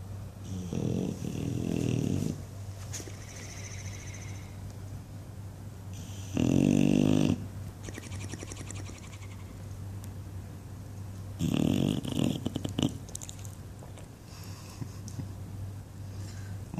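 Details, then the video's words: English Bulldog named Buddy asleep indoors and dreaming, giving loud rasping snores in bursts lasting one to two seconds, spaced by quieter breathing over a steady low hum. "Flappy Bulldog snoring and dreaming"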